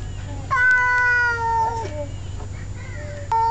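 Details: Male domestic cat scolding another male cat during a standoff between two males: a drawn-out yowl that slides slowly downward, breaking into a lower wavering note, followed by a shorter rising cry and a final sharp onset.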